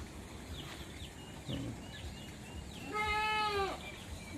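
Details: Farm goats bleating in the summer morning before being released from their pen; one clear, nasal, wavering bleat lasting under a second follows soft chirps and clucks from nearby turkeys and other poultry, with low background hum.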